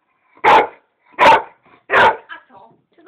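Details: American Staffordshire Terrier that wants to play, barking three loud evenly spaced times, roughly one bark per second, followed by softer whines and yips, while a man talks to it in Polish.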